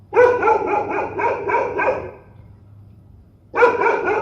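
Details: Menacing dogs unleash a rapid series of about eight rough, throaty barks, then fall quiet for over a second before another loud burst of barking starts.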